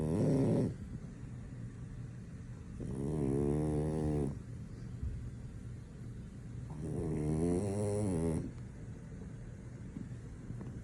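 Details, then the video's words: French Bulldog deep asleep, snoring in slow cycles: long buzzy, throaty snores of about one and a half seconds each, separated by quieter breathing, roughly every four seconds. "French Bulldog snoring, nothing can wake him up"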